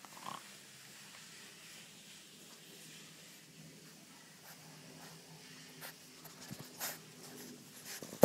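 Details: French bulldog puppies playing in a garden give low, rough snorting grunts and purr-like rumbles in short irregular bursts, with a few sharper clicks and a loud knock at the very end.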